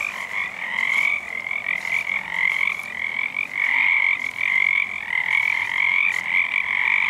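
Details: Frog chorus, probably Pacific tree frogs, heard but unseen on a full moon night in February 2011; many frogs calling at once in a dense, continuous trilling croak with brief dips in loudness.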